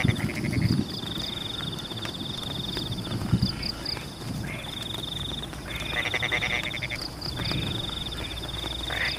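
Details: Rice-field frogs calling during rain in Pematang; scattered pulsed croaking bursts, stronger toward the end, with a steady high trill behind and heavy low rumbling rain and water noise throughout.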